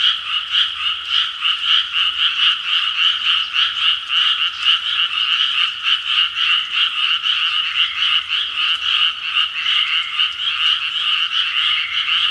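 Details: Frog chorus at 6 pm: loud, packed croaking from many frogs, fast rattling pulses blending into a steady wall of sound with no other clear noises.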